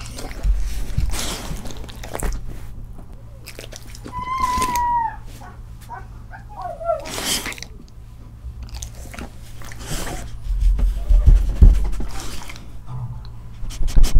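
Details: Siberian husky indoors eating grilled eel, finishing it in under thirty seconds while other dogs cry outside for a share; rapid crunchy biting and chewing, with a thin whining tone midway.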